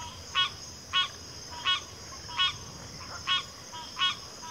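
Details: Repeated frog calls from backwater habitat, a sharp nasal honk sounding about every 0.6 seconds with a faint softer call between, all above a constant high-pitched insect hum.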